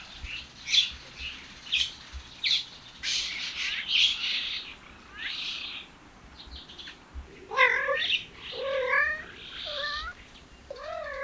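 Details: Male cats following a female cat, caterwauling. Short, harsh, noisy bursts come first. From about seven seconds, several drawn-out, wavering yowls follow, rich in harmonics, bending up and down in pitch, one after another.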